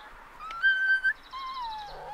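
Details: Labrador Retriever puppies, one litter of seven at day 37, playing rough together: a thin, steady whistled whine holds level, breaks off, then slides slowly downward, with faint background murmur.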